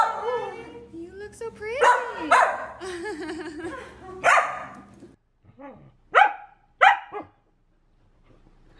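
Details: Pet female Samoyed being chatty indoors: wavering, moaning talk-like vocal sounds, then two sharp barks near the end, mixed with a woman talking to the dog.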